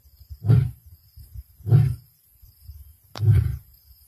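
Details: A male lion of the Black Dam pride roars on 1 February 2024, giving deep, booming grunts, each about half a second long and spaced roughly a second apart.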